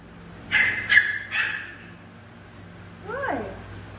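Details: Dwarf German Spitz puppies at a kennel: three short, high, sharp yips in quick succession, a pause, then one brief wavering whine that rises and falls, over a low steady hum.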